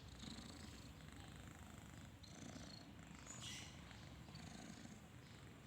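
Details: Low, throbbing snore of a sleeping kitten, a continuous purring rumble pulsing with its breathing, accompanied by a few faint distant bird chirps.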